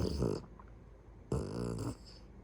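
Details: Beagle snoring in its sleep at home: two loud, throaty, buzzing snores, the second longer and rising into a rattling drone, with a short quiet pause between them.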